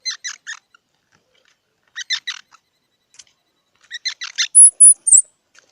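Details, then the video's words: Squirrel calling in short bursts of three or four harsh, broadband chirping notes, grouped in three clusters separated by brief silences, ending with a few thin, very high whistled tones; no other sounds in the background. "សំលេងដង្ហែន Squirrel 🐿️ Sound"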